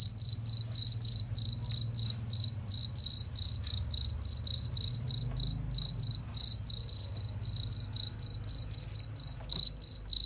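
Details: Cricket recorded as training material for competition songbirds, giving clear high-pitched chirps at around 214 per minute in a somewhat irregular rhythm, crisp and ringing, with a faint low rumble underneath.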